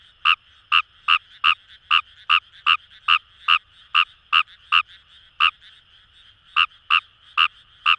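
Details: Kawamura's rice frog calling in paddy fields along the Kamo River, Itoshima, Fukuoka Prefecture, Japan: loud short croaks repeated about every third of a second, a brief pause, then resuming, over a steady background chorus of other frogs.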